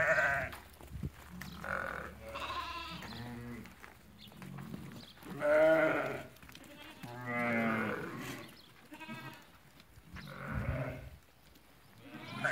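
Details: Flock of lambed ewes for sale at Fquih Ben Salah bleating in overlapping succession: around eight quavering bleats of varying pitch across twelve seconds, softer and more distant, with faint background murmur.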